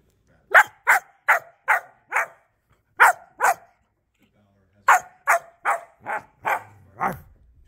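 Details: German shepherd puppy barking in quick bursts: a run of five sharp barks, a pause, two more, then six further barks, the last one lower and drawn out, in an otherwise quiet room.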